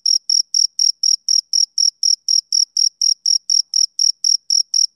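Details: Steady high-pitched chirping of a male cricket on a summer evening, short pulses evenly spaced roughly four per second, sharp onsets and no other sounds around them.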